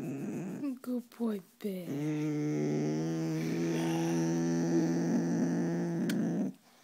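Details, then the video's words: A five-year-old male soft coated wheaten terrier growls at his owner in a small room. A few short voiced sounds come first, then one long, even, low growl holds for over four seconds. "My Dog Likes to Growl"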